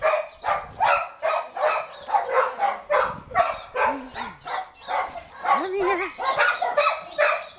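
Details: Shelter Bluetick Coonhound awaiting adoption, January 2013, voicing rapid rough barks in quick succession, with a few short rising-falling yelps mixed in near the middle.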